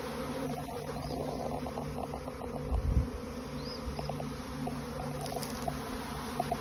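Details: Honey bees swarming out of a beehive alongside the old queen; a dense, continuous buzzing drone of many insects with scattered higher flicks of passing bees and a low thump near the middle.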